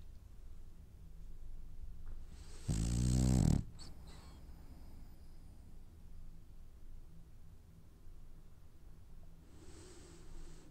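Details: Sleeping French Bulldog having dreams gives one loud, low, rattling snore near the three-second mark, followed by a soft airy exhale, faint breathing and a quiet hiss later on.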